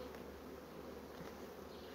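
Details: Fast-growing honey bee colony raising brood, heard as a continuous even drone of many wings, low and unbroken throughout.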